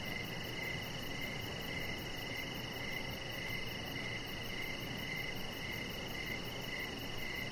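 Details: Crickets sing outdoors in the evening near a deck lit with decoration lights; a regular pulse of brief chirps, about two per second, rides on a constant shrill drone with low ambient noise underneath.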